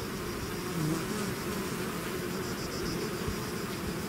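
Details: Honeybee swarm pouring out of its hive, a dense, steady buzz of many wings with low droning hums near 200 and 400 and a faint high whine above, continuous with no pauses.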